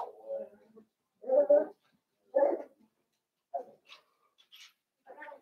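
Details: Blenheim Cavalier King Charles Spaniel puppies from a litter of five born at New Year's, in an indoor puppy pen: several short whining yelps, each under a second, separated by pauses, with faint higher squeaks near the end.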